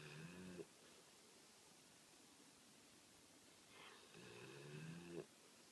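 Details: American Pit Bull Terrier named Rose snoring while asleep indoors: two long rasping snores with a buzzy, harmonic-rich tone, each lasting under a second and separated by a quiet pause of about three seconds.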